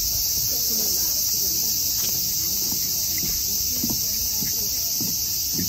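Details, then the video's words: Insistent cicada buzzing forms a seamless high hiss throughout, with scattered faint clicks and taps lower down. "Buzz of a cicada"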